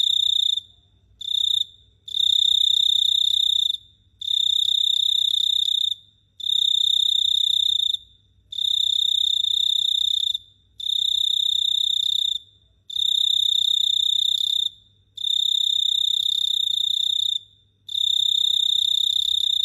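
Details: Cricket heard at night in Phteah Prey giving long shrill ringing trills, mostly about one and a half to two seconds each, broken by short silences, one clipped short burst at the start; quiet low hum underneath.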